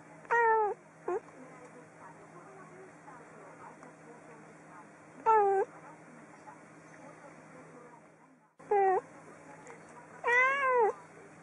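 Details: Cat meowing: short, sharply bent meows that rise then fall, some in quick pairs, spaced several seconds apart over a steady electrical hum.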